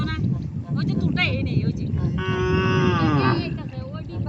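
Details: Cattle that crossed a river to reach grass on the far bank; one long harmonic moo gently falling in pitch, lasting over a second, over rushing water noise, background music and people talking.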